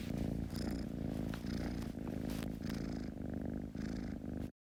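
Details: Close, loud purring from a kitten, a dense low vibrating rumble that swells and eases in regular breath cycles, with a slightly rough, noisy texture before cutting off abruptly at the end.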